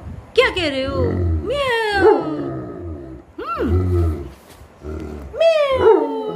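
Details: A German Shepherd following its mother gives long, drawn-out whining calls with arching, rising-and-falling pitch, four loud moaning bursts separated by brief quieter pauses.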